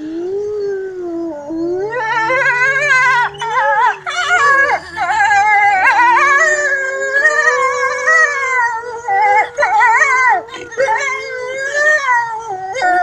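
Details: Several gray wolves at Kostroma Zoo howl together, long wavering tones rising and falling and overlapping in a chorus.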